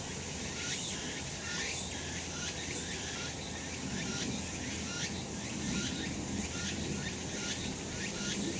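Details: Cicadas singing on a summer mountain in the sun: a thick metallic buzz throbs in regular pulses, about two to three each second, over a constant low outdoor rumble.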